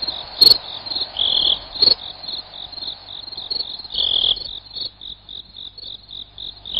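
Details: Cricket sound for driving off rats: rapid high chirps with several longer buzzing trills and a couple of sharp clicks early, settling into steady evenly spaced pulses.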